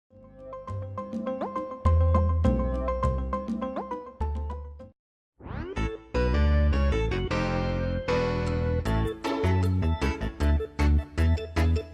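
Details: Bright, bouncy children's-style music with plucked and chiming notes and a steady beat, with a short silent break near the middle.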